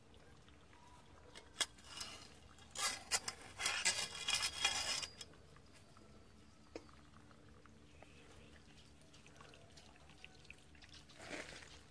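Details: Quiet indoor room with soft rubbing, dripping and a short burst of clattering, scraping sounds in the middle, then faint knocks; no animal voice stands out.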